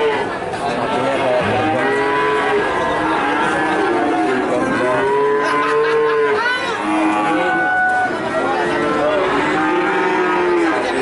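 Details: Cattle calves in Nganjuk, Indonesia: a dense chorus of arching, rising-and-falling moos from several animals, with people talking in the background.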